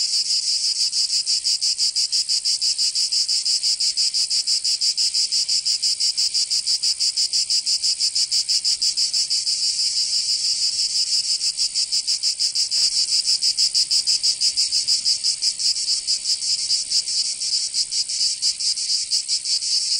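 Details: Cicadas singing in summer in Provence, southern France: a dense, high, shrill buzz throbbing rapidly and steadily, about three pulses a second, with no other sounds.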